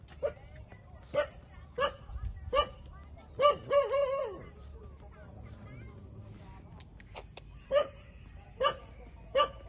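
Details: Newborn puppies, 27 days old, suckling milk from their mother: short high squeaky whimpers repeated about every second, one run of rapid wavering squeals in the middle, with low background rumble and a faint human voice.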